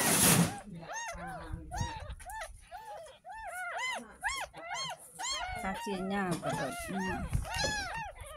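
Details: Young kitten, ten days old, at its first bath: a series of short bent mews, about two per second, with a girl talking and faint music behind.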